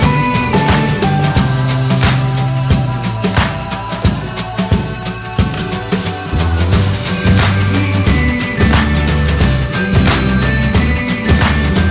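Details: Loud driving instrumental music with heavy bass and drums fills the whole stretch, with no animal sound heard.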